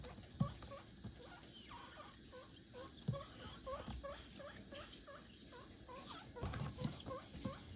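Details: A guinea pig gives quick, soft, repeated squeaks, eager calls while waiting to be given broccoli, amid the crunchy chewing noises of eating broccoli leaves and stems.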